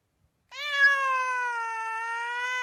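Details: Domestic cat in a kitten and cat meow mix: one long, steady, sustained meow lasting over two seconds, rich in harmonics and holding an even pitch after a brief silent start.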